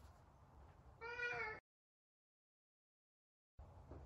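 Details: Talkative Savannah cat named Sabian calling while trying to find Sabina: a single clear, harmonic-rich meow lasting about half a second, followed by a long stretch of silence and faint room noise.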